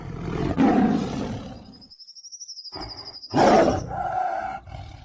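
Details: Tiger. Two loud, gravelly tiger roars swell and fade, with a brief quiet gap between them. A thin, steady high-pitched whine runs faintly through the middle of the sequence.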